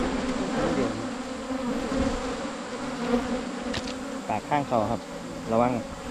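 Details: A low, steady droning of Asian honey bees fills the first part of this 2022 wild honey hunt in rural Thailand, then men's speech rises over the hum toward the end.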